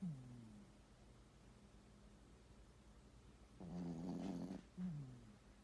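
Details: Sleeping poodle snoring indoors: a soft whistling wheeze at the start, a long grumbling snore near four seconds, then another short whistled breath, over quiet low hum.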